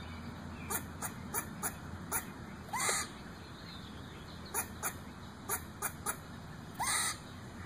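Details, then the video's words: A squirrel in a tree above a backyard gives short, harsh, chicken-like clucking barks in quick irregular runs, broken by two longer raspy rising calls, over a faint steady hum. "Squirrel Makes Chicken Noises"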